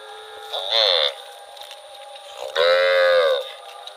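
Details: Cow wandering through rural rice fields gives two moos: a short rising bellow, then after a pause a longer, fuller moo of about a second, with a faint steady hum behind.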